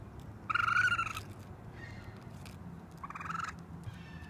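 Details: Baby raccoon on a roof calling for its mother: two drawn-out, whining harmonic cries, the first loud and about three-quarters of a second long, the second softer, over a low background rumble.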